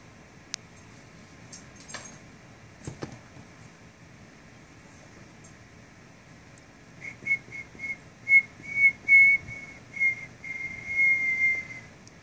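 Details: A bored 8-week-old English Bulldog puppy gives a run of thin, high whines ending in one long, slightly falling note.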